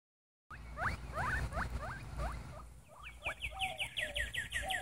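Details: Two-week-old red roan Teddy guinea pig pups, a sow and a boar, giving quick rising squeaky chirps in rapid series of about a dozen, first lower and looser, then higher and evenly spaced, over a soft background rustle.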